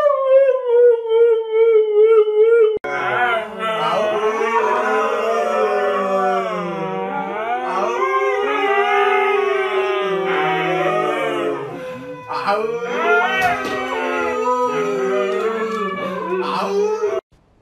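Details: Siberian Husky howling indoors: one long, steady, slightly falling howl for about three seconds, then a continuous run of wavering, warbling howls and yodel-like rises and falls until the end, with a low hum underneath.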